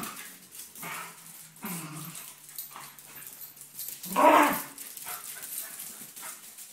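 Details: Binks and Shorts, two dogs, wrestling. Low rumbling growls come early, then one sharp, loud bark near the end, over quiet background scuffling.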